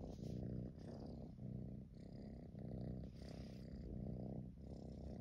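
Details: Tabby kitten purring on a fleece throw while being stroked, head tucked into the throw; a steady low rumbling purr in rhythmic pulses, each breath cycle lasting about a second, with brief pauses between.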